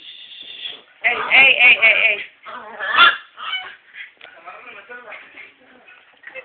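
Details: An angry Miniature Schnauzer, tied up at the door, gives harsh, high, nasal barks in short, uneven bursts.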